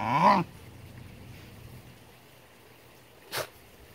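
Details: A Basenji playing with a glass lizard gives one brief, rising, strongly tonal yelp, then near silence and a single sharp knock.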